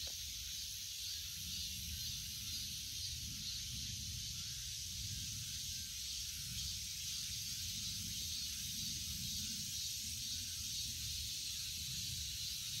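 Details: Unbroken, shrill cicada buzz, a dense high hiss that never pauses, layered over low outdoor rumble.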